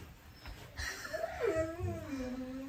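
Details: Eleven-day-old Rottweiler puppy, indoors, whining in a thin, wavering, rising-then-falling tone that slides gradually lower and trails off, with faint rustling underneath.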